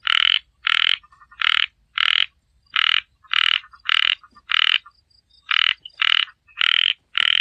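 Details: A frog gives repeated rasping croaks, roughly twelve over seven seconds, evenly spaced at under a second apart with one slightly longer pause; each note is short and buzzy with a ringing overtone; quiet background.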